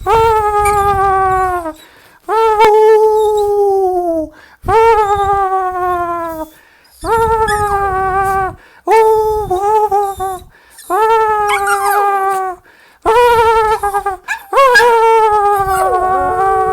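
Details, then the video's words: A pet Jack Russell Terrier trying to talk: a series of drawn-out, tonal howls with rich harmonics, each starting high and sliding slightly downward, some ending in wavering whines, separated by short pauses. "Dog Jack Russell talking"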